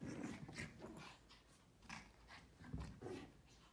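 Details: A group of Pomeranian puppies, led by a female, yap in quick, sharp scattered bursts, each bark brief, thin and high, with quieter panting and faint whimpering between.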